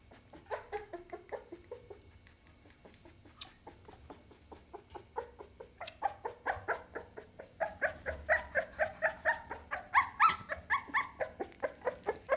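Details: Pit Bull puppy indoors giving soft, quiet yips and whimpers, sparse at first, then a steadier run of short high yelps about every third of a second that grow louder toward the end.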